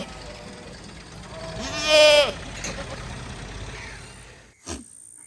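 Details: Goat giving a single wavering, nasal bleat of about half a second over steady background hiss and rumble, followed later by a short knock.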